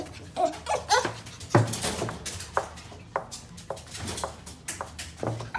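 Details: Male white dog, born in February 2018, giving short harmonic whines and sharp yips in quick bursts early on, then scattered clicks and thumps, with soft low background hum.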